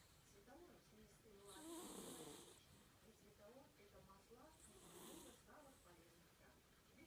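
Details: Sleeping domestic cat snoring: slow rhythmic breaths, each a rough, wheezy rasp swelling around two and five seconds, with a faint hiss on the exhale; quiet room, no other clear sounds.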